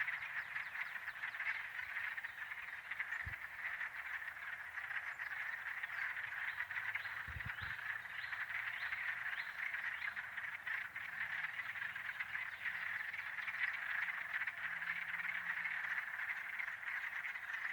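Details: Wood frogs (Lithobates sylvaticus) give a dense early-spring chorus of short, rasping, duck-like quacking clucks, recorded in Michigan.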